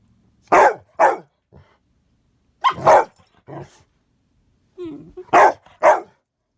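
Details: Rescue pup and big dog at play inside while it is wet and icy outdoors; sharp barks come in quick pairs, three bursts across the stretch, with a short low grunt or growl in between.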